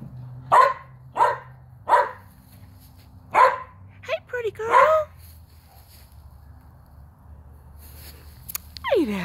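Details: Jurnee, a three-year-old Skye Terrier up for adoption, outdoors: four sharp single barks about a second apart, then a few rougher, clipped yaps, with a sweeping rising tone near the end.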